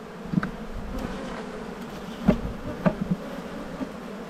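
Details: Honey bees around a brood-filled hive being inspected in an Australian bee yard in spring, 7-9-22; a quiet, low steady drone broken by a few short taps and knocks.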